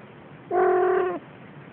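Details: Playing Siamese kitten lets out a single clear, steady meow of about two-thirds of a second, ending with a slight downward drop, against quiet background hiss.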